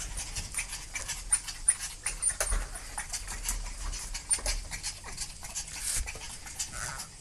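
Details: Panicking dogs, several animals: busy, rapid noisy breathing and scuffling bursts fill the whole recording, with short sharp clicks and rustles scattered throughout.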